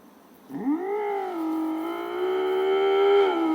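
An Iberian lynx gives a long, drawn-out, moaning call that swoops upward and then holds steady.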